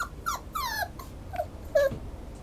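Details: Schnauzer puppy or dog whining with several short, high, falling whimpers and squeaks, some thin and nasal, over a soft background hum.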